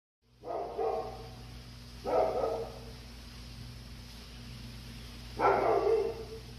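A Labrador Retriever gives three hoarse, mid-pitched barks, spaced unevenly over several seconds.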